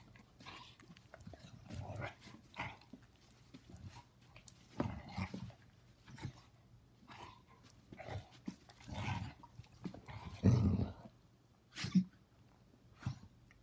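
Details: Two senior Basset Hounds, Ruby, a female foster, and Sonny, playing a game together: low grumbling growls and snorty huffs come in short bursts every second or two, with a sharper, louder outburst near the end and a person's voice nearby.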